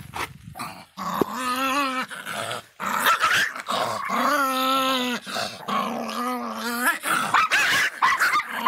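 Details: Angry Miniature Pinscher voicing long, tonal growling snarls, several drawn-out wavering notes of one to two seconds each, separated by short breaths and brief sharp bursts.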